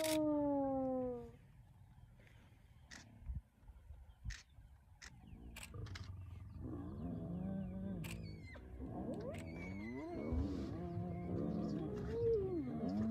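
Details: Wild spotted hyena clan mobbing the young Nkuhuma male lion one early morning at Elephant Plains, northern Sabi Sands, South Africa: one falling tonal call opens, then quiet clicks, then a rising jumble of wavering, overlapping moans and groans.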